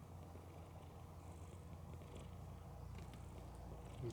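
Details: Pet cat Mookie, a female, snoring loudly as she sleeps with both eyes open; an unbroken low, throbbing rumble holds steady throughout with little else audible.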